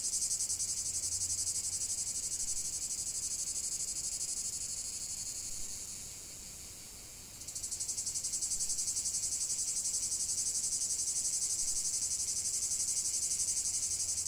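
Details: Cicadas in a continuous chorus: a dense, shrill, high buzzing pulsing about four times per second. It fades and softens midway, then snaps back to full loudness. There are no other clear sounds.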